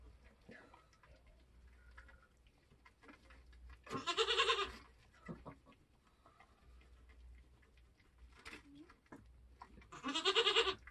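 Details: Kidding on a homestead, with Nigerian goats being born: two loud, harsh, wavering bleats about six seconds apart, each close to a second long. Faint rustling and a brief soft call come between them.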